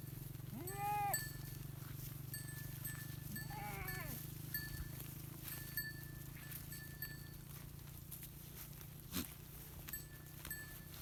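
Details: A herd of goats mixed with sheep in a village; two separate wavering bleats a few seconds apart rise over a constant low mechanical drone, with occasional faint taps and distant calls.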